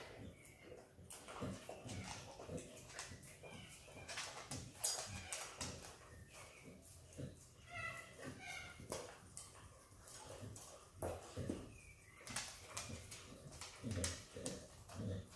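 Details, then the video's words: A hungry Australian Kelpie x Border Collie puppy named Izzy laps at peanut butter, making a dense run of sticky tongue clicks and smacks, with a few brief squeaky mouth sounds in the middle. "Happy puppy dog licking peanut butter!! Dog licks & eats peanut butter ASMR!"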